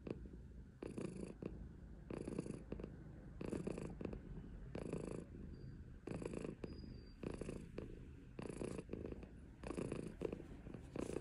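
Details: Silver tabby Maine Coon, a female cat, purring steadily indoors: a low rumbling throb that swells in rhythmic bursts about once every 1.2 seconds, each burst carrying a soft breathy hiss, with quiet room noise between.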